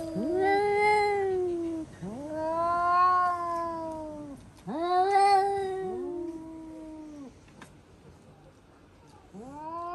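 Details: Pet cat caterwauling indoors on discovering a cat outside: a series of arched, moaning yowls roughly two seconds each, rising then falling, four in a row, then a quieter gap before another starts.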